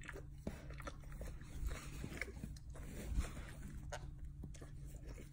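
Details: Dog gnawing and licking its hindquarters eagerly, giving a run of soft moist smacks and sharper crunching bites, with the strongest snaps around the second and third seconds and a constant low electrical hum underneath.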